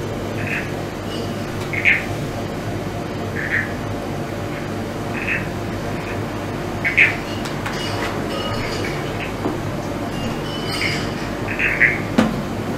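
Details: Several brown tree frogs call in the distance on a floodplain near Melbourne just after sunset, in misty, cool night air after rain. Each gives a brief, high, pulsed creak every second or two over a low rumble and hiss.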